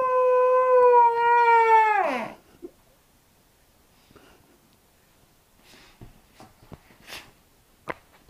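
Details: One sustained, steady Briard howl for about two seconds, dropping sharply in pitch at its end, then near silence with a few faint clicks and knocks.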